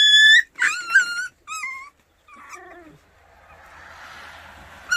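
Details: White Baekgu puppies in Cheongdo County, Korea, give loud, high, whining yelps in quick bursts, some falling and some wavering, over about two seconds. A soft hiss of background noise follows, then one more short whine at the end.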